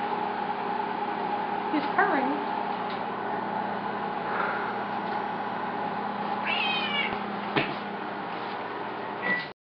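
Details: Odie the cat meows while people play around with it, giving several drawn-out, wavering meows spread across the recording over a steady indoor hum, with human voices in the background.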